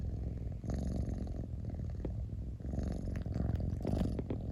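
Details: Low throbbing purr of a domestic cat heard very close, continuous rumbling with slight surges as the cat breathes in and out.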